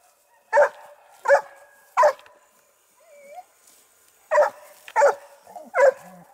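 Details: Dogue de Bordeaux barking at the Les Dogues de Plaine amateur kennel: three quick barks, a pause holding a soft high whine, then three more barks in fast succession.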